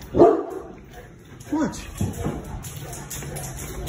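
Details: Molly, a big female Boerboel, in an older recording. She was playing in the backyard, smelled the air, barked, and ran off, opening the door to greet the family. One loud, deep bark opens the recording, followed by excited human voices.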